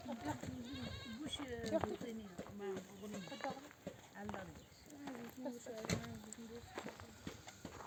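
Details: Mother sheep of a nomadic flock, back from desert grazing among oak trees, bleat to call their lambs to nurse: many overlapping wavering bleats, some high and some low, one after another with hardly a pause. Faint human voices underneath.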